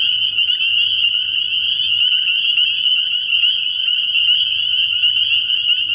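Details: Night chorus of many spring peepers at a frog pond in early spring: a steady, high, shrill wash of rapidly repeated peeps with no pauses, over faint intermittent low tones.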